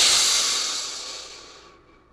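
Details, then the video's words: Crocodile hissing: a single sharp, airy exhalation, loud at first and steadily fading over about two seconds. "Real crocodile sound effect | Crocodile growl sounds | Crocodile hissing"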